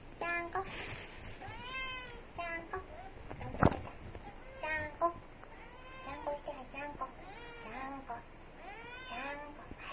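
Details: Pet kitten at home, sitting, giving many short, arched meows in quick succession, rising then falling, mixed with people talking and a sharp knock.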